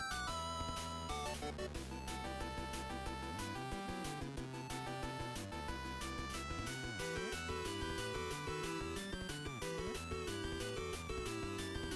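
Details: Bouncy game-style music with bright repeating notes and a steady beat plays throughout, with no animal voice.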